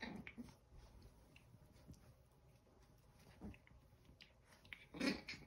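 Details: Eleven-week-old Chihuahua puppies tussling over a towel indoors: short rough grunting bursts at the start and near 3.5 seconds, then a louder harsh growling burst close to the end, amid soft scuffling and rustling.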